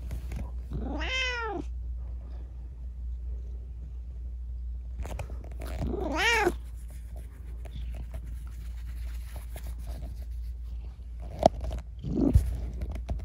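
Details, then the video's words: At night a rescued kitten, its leg disabled from an accident, gives two long rising-then-falling meows about five seconds apart, quiet between them, with a couple of faint knocks and a low hum near the end. "夜のおしゃべりネコ。Talking cat at night.在晚上说话的猫。"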